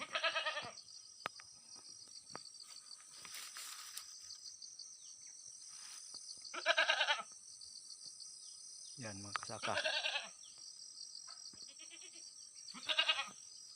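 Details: Farm-raised domestic goat bleating four times over several seconds, each cry short, nasal and quavering, spaced irregularly with quiet gaps; a brief low human voice and faint clicks appear between the calls.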